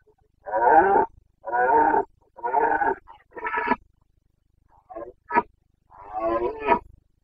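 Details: Carpathian red deer stag in Bucovina's mountain forests, breeding season rut (boncănit), 29 September 2022: a series of five hoarse, harmonic bellows about a second apart, then two shorter, tighter roars after a pause.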